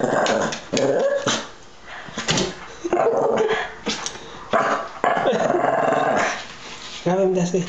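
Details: Shih Tzu dog confronting a red devil fish, giving bursts of harsh growling and short barks between pauses, while a person repeatedly urges it on with loud speech.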